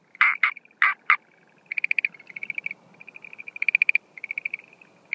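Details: Schlegel's green tree frog calls at night on 17 April 2013, at the start of its breeding season, with no females seen: loud clucking notes, then rapid rattling trills of high, bright pulses that may be a different call type.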